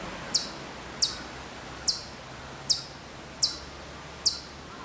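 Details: A distant Hokkaido chipmunk at Maruyama in Sapporo, Hokkaido, September 2014, gives six piercing high chips spaced under a second apart, each a quick falling sweep, against quiet background noise.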